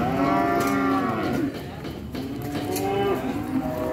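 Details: Cattle moo, a sustained harmonic low fading after a second and a half, followed by softer overlapping moos and light knocking sounds.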